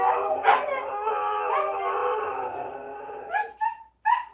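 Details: Domestic Siberian Huskies howling on cue, with the female puppy Eleanor learning the howl and Memphis joining in; a quieter, drawn-out held howl fading down, followed by a few short yelping notes at the end.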